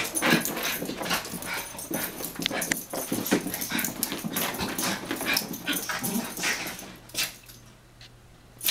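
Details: Taco and Santi, two Chihuahuas, chase and wrestle in play; a continuous run of snarly growls, whines and scuffling fills most of the stretch before it quietens with a final sharp burst.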